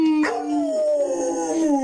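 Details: A Rottweiler being taught to howl gives a long, steady howl that slowly slides lower in pitch.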